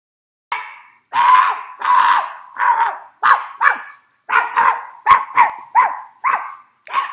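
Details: Pet fox terrier, confused after its owner imitated barking, with a schnauzer nearby: a string of about a dozen mid-pitched, whining barks, each sliding down at the end, coming in uneven pairs and bursts with clear silences between.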